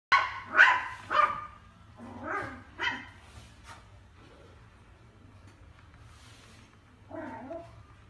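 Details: Pet dog barking indoors: about five sharp, loud barks in quick succession over the first three seconds, fading slightly, then a quiet pause and one softer, lower bark near the end, over a low steady hum.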